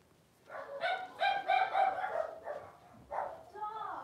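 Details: Blenheim Cavalier King Charles Spaniel puppies, a litter of five with their mother Paris in an indoor puppy pen, about four weeks old; a run of loud, harmonic, wavering whines and yelps comes in bursts, then two shorter cries follow.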